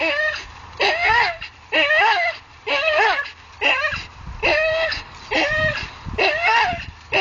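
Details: Hanging from a tree, a Staffordshire Bull Terrier lets out a steady series of strained, wavering whines, roughly one per second, each with a rising-then-falling pitch.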